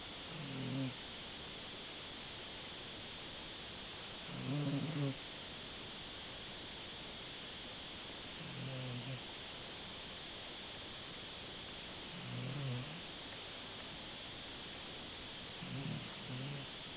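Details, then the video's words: Sleeping Dachshund snoring: five low, rumbling snores, each under a second long, coming about every four seconds over a steady hiss of background noise. "Dackel Gigolo schnarcht sich einen"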